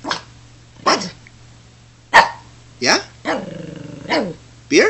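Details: Pet Shih Tzu, said to be enjoying a cold beer, gives short sharp yips with rising tails and one longer, drawn-out harmonic growling whine near the middle. The bursts come irregularly, about one every second.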